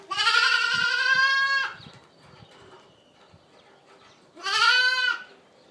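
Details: Boer goat kids from registered dams, raised for sale on a breeding farm: two loud, wavering, richly harmonic bleats, the first lasting nearly two seconds, the second shorter after a quiet pause with faint background noise.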